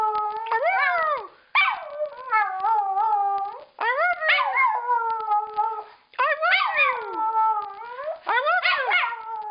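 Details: Female pet dog joining in a howl, at times imitating "I love you" in howl form; rising-then-falling wails repeated in quick succession, each bending down at the end, with yelping breaks between.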